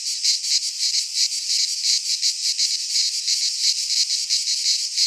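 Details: Midsummer cicada chorus from a pine forest in Greece, a harsh high buzzing that swells and dips in quick rhythmic pulses, continuous throughout with nothing else audible.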